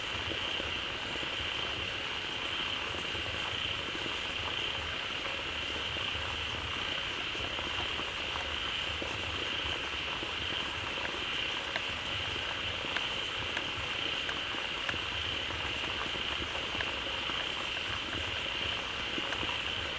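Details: Dense pond chorus of frogs that gathered quickly after waterfall water flowed in: a continuous shrill high band over a murmur of low pulsed croaks, with occasional sharp clicks.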